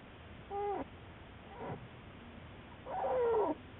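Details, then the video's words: American black bear Juliet, studied by Wildlife Research Institute biologists, recorded March 1, 2014; three short, tonal, wavering cries with bright harmonics, the last one longer and sliding downward, over a steady low hiss. "Juliet the Black Bear"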